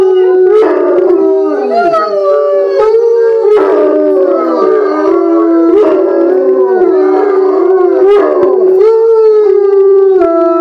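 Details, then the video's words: Four bloodhounds howl together in long, mournful, wavering notes that rise and fall, singing as they often do for no apparent reason. "Bloodhound Song"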